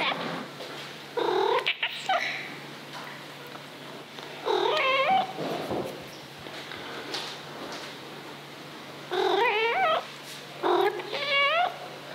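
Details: Dafu, a 2-year-old female Maine Coon, gives drawn-out, wavering meows repeated in bursts, strongly demanding attention and caresses.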